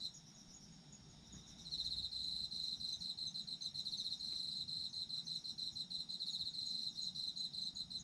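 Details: Night-like chorus of autumn insects. A softer insect hum opens the recording, then a loud, high, fast-pulsing trill joins and continues to the end, with gentle wavering in loudness.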